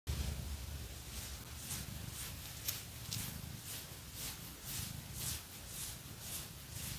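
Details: Phoenix, a pet cat, purring indoors while being scratched; a soft, low continuous rumble sits under loud, rhythmic scratching strokes that rasp roughly every half second.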